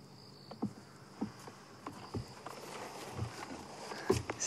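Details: At night after sunset in the Sabi Sand, an African buffalo grazing about three feet away crunches and tears grass in short, irregular bursts and breathes out through its nose, with faint crickets behind.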